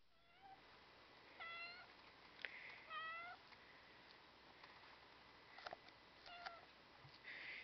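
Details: Three-day-old domestic kittens of a cattery litter, recorded on August 31, 2010, giving thin, high, rising mews in short bursts, several overlapping, with quieter background noise between calls.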